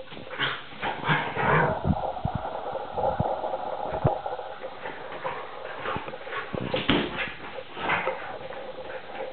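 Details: Play-fighting between a three-and-a-half-month-old Vizsla puppy named Tarka and NooNoo the pointer, only playing despite looking fierce. Continuous rumbling growls and snarls mix with quick yips and the thuds of wrestling bodies.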